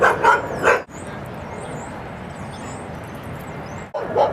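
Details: Dogs Rosy and Rocky at Seal Point Dog Park on the western side of San Francisco Bay, December 7, 2015: three quick barks open the recording, then a steady hum of traffic and chirping birds, and a final bark closes it.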